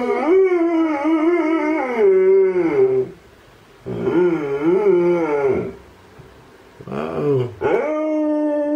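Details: Alaskan Malamutes howling in response to a siren, a male in view and a female in the background: three long, wavering, tonal howls rich in harmonics, each lasting about two to three seconds with short pauses between, indoors.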